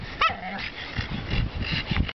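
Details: Crazy noises from a seven-month-old pug puppy kept as a pet: a brief high squeak, then a run of low, rapid snorting grunts.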